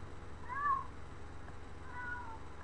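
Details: Domestic cat meowing after turning from a window where it had been barking: two soft, wavering meows about a second and a half apart over a quiet indoor hum.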